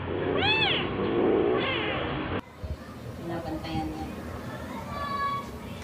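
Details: Household cats on orange cat Jay's second birthday, 19 March 2023, with his calico sister Mel and mother Mocha: two short arched meows in the first two seconds over a voice, then an abrupt cut to quieter room sound with faint higher tonal calls.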